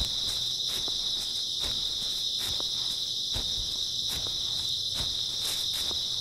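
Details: Grass insects on an early autumn night, a dense unbroken high-pitched chirring drone holding steady throughout, with soft crunching footsteps sounding about every second beneath it.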